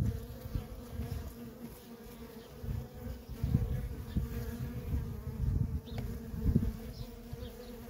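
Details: Honey bee workers busy at a feral colony produce a dense, even drone. Individual bees swoop close to the recorder again and again, each a brief swelling whoosh over the steady hum.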